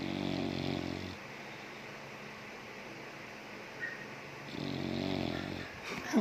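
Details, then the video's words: Sleeping American Bully snoring indoors, a deep buzzing rumble on each breath lasting about a second, with a quiet pause of over three seconds between two snores and a short rustle at the end. "Snoring American Bully"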